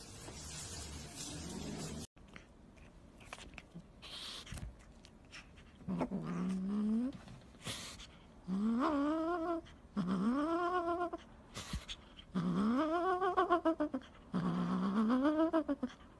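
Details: Domestic cat from a funny pet compilation giving a run of low, drawn-out yowls, each arching up then down in pitch, repeated roughly every two seconds, with clicks and rustling between calls.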